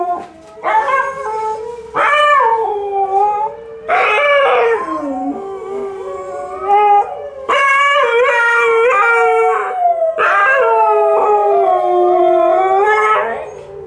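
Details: A Malamute and a Husky howl together in long, wavering, overlapping tones with rising and falling pitch.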